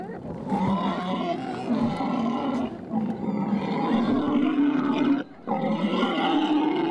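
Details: Female wild boar squealing in a forest as a male mounts her to mate and she runs away carrying him half on her back; a continuous, rough, droning squeal held for seconds, briefly cut off once, then resumed.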